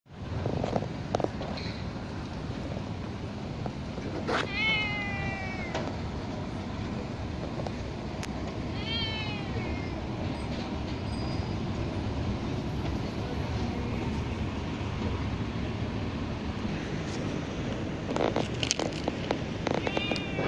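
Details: A black domestic cat gives a few drawn-out, falling meows, asking for more food after already being fed.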